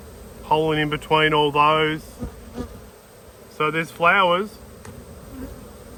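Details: Close buzzing of honey bees at an open hive during a beekeeping inspection dated 19/3/22: several short, bright, droning bursts, one wavering in pitch as a bee passes, with low background hum between.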